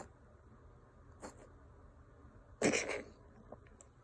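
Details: A Ragdoll cat gives a sharp, harsh cough with a wheezy, breathy edge, then falls quiet; the owner is unsure whether it is a hairball or illness.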